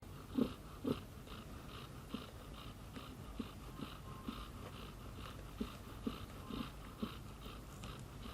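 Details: Mother cat snoring while her baby kitten Tomi dozes soundly on her shoulder; soft, breathy snorts and wheezes recur about twice a second, uneven in strength, over a low steady indoor hum.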